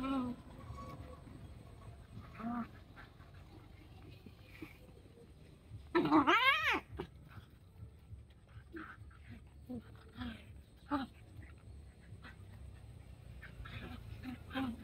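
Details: Puppies playing together, one letting out a sharp high yelp mid-clip amid scattered small whimpers and rustling.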